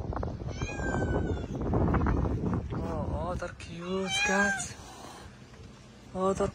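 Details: A mother cat and her kittens on the street give several harmonic meows, rising then falling, mostly in the second half. A person talks over much of the stretch, with low background rumble.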